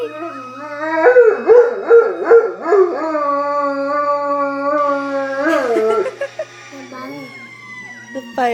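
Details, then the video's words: Black Labrador Retriever howling in response to fire trucks, a wavering, drawn-out tone with pulsing rises and falls, then a long steady note; people talk nearby and a low constant hum runs underneath. "blacklab howling to fire trucks"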